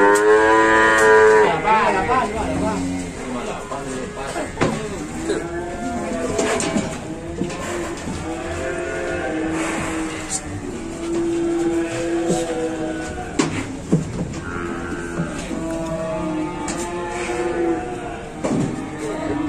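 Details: Cattle at the Pasar Pon livestock market in Ambarawa, Indonesia, in the morning, lowing repeatedly in long, bending moos from several animals, overlapping with crowd chatter, clapping and background music.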